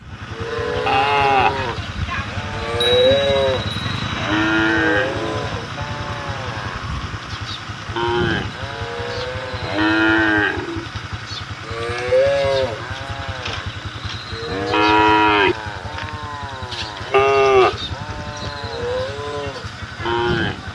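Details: Cattle on a road calling to the herd: a series of arched, nasal, rising-then-falling moos from several animals, several overlapping, every few seconds over a steady low engine hum.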